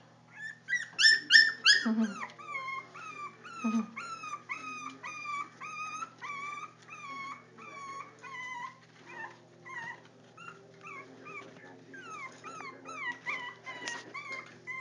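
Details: Jack Russell Terrier puppies, four weeks old, trying to get out, giving a steady run of high, downward-sliding whines and squeaks, several a second, with a couple of louder yelps near the start.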